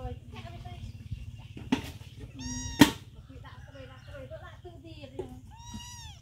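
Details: A hungry mother cat stays near food with her baby kitten. Two clear, rising-and-falling meows come about three seconds apart, under people talking, a sharp knock and a low steady hum.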